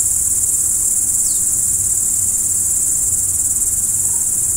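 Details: Crickets at night: a dense, unbroken high-pitched shrilling holds steady throughout, with one faint falling chirp early on, a brief soft tone near the end and a low background rumble.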